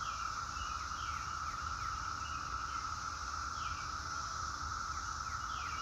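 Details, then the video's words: Chorus of singing cicadas: a constant, level buzzing drone with a brighter shimmering layer on top, never pausing. Brief downslurred bird chirps come and go behind it, and a low rumble sits underneath. "Cicadas Singing"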